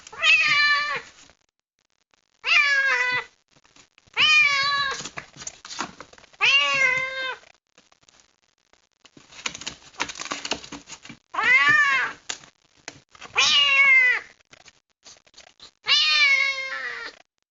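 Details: A kitten found out in the rain, unhappy at being kept in a box, meowing loudly and insistently: eight drawn-out, wavering cries, each about a second long and roughly two seconds apart, with scratching and rustling between them.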